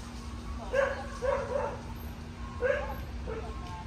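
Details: Cocker Spaniel, a two and a half year old female named Lola, in an obedience distractions program for anxiety around new people and environments. Short sharp barks come in a quick pair, then a single, then another after a pause. A steady low hum sits underneath.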